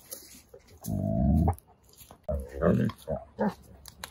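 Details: Wolfdog puppies battling for a tree give a deep, rough growl lasting about half a second, followed by shorter grumbling growls, with some human speech mixed in.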